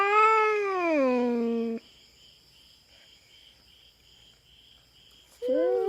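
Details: Feral cat on a Philippine farm, invading another cat's territory: one loud sliding yowl dropping in pitch, then near silence with a faint steady hum, and a new yowl starting at the end.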